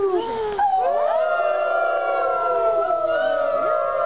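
Several wolves howl together, long smooth tones sliding up and down and overlapping.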